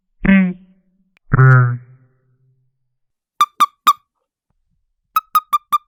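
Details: Toad scolding, recorded in high quality for a sound library: two low, buzzy, drawn-out croaks, then after a pause quick trains of sharp, clicky squeaks, three and then five in a row, with silence between.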